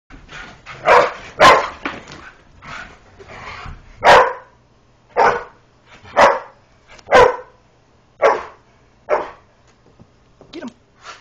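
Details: Greyhound chasing a springer spaniel around a couch indoors during play; a series of sharp, loud barks, some in quick pairs, spaced roughly every second across the stretch.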